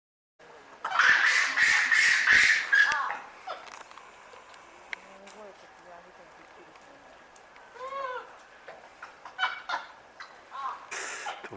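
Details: Japanese macaques at Asahiyama Zoo in Hokkaido, screaming loudly: a dense burst of harsh, harmonic shrieks for about two seconds, then quieter scattered cries and a short series of arched, wavering calls near the end.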